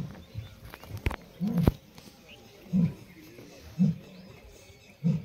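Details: Asiatic lions of a pride in Gir jungle, India, seen on a safari; deep grunting roars below 200 pitch range, low pulses repeated roughly once a second, with vehicle noise and a sharp knock in the background.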